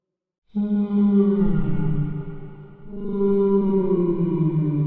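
Deep, drawn-out whale moans fill the recording, each note rich with overtones and gently falling in pitch. After a brief dip, a second long, resonant cry rises and carries on.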